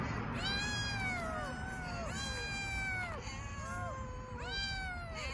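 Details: Hungry homeless kittens on an Istanbul street meowing loudly, overlapping high arched meows with rich harmonics, several kittens calling almost continuously, background street hum below.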